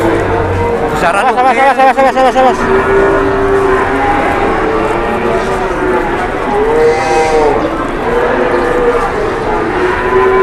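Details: Large cattle at an Indonesian livestock market, mooing in drawn-out tonal calls amid a dense crowd of other cattle, with people talking and busy market noise throughout.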